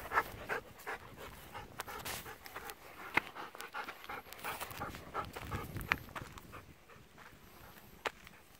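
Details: Two Golden Retriever siblings, female aged eleven and male aged ten, resting outdoors in a rice field in the evening. Rhythmic airy panting is clearest early on, with sharp clicks and rustles scattered through.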